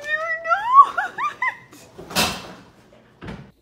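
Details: Domestic cat indoors giving a quick run of rising, wavering meows over about one and a half seconds, followed by a loud rustling burst and a short knock.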